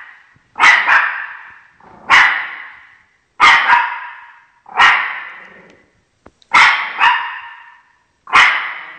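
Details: Shih Tzu named Chocolate guarding its territory against dog actors on television, barking at the screen: six sharp, harsh barks, some doubled, spaced roughly every one and a half seconds, loud and insistent with short silences between.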